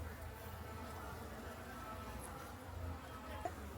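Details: Honey bee colony being relocated from a large clay pot hive near a house in Homagama, Sri Lanka; a steady, low, diffuse hum of many bees runs throughout, with a brief sharp knock near the end.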